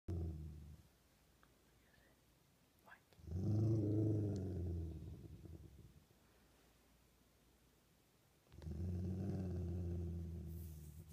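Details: Dog growling indoors in two long low rumbling bouts, each lasting a few seconds with a pulsing texture, separated by quiet pauses.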